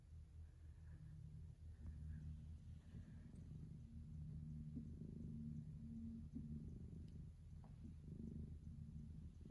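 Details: Relaxed tabby cat lying between a cat tree and a window sill, purring while moving its paws; a low, steady rumbling purr runs throughout with soft faint sounds above it.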